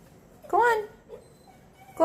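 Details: A stray puppy in Puerto Rico, one of two being taught to use a doggie door, gives a single short rising whine, with a quieter murmur afterward and a sharp sound at the end.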